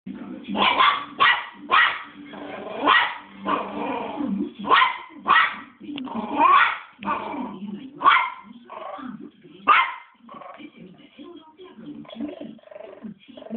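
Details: Three-month-old West Highland White Terrier puppy, angry and barking nonstop: sharp high yapping barks in irregular bursts, some close together, with a low murmur of voices underneath throughout.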